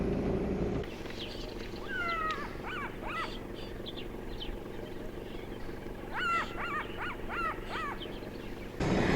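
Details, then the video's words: Jackal alarm calls in the morning from the center of a dead tree forest in Botswana, near fresh leopard tracks. The jackal is thought possibly to be watching a leopard. Two bursts of sharp, harmonic yelps rise and fall over a quiet outdoor hum. "Right, so I've just heard some jackal alarm calls. It sounds like it's coming right from the center of the dead tree forest."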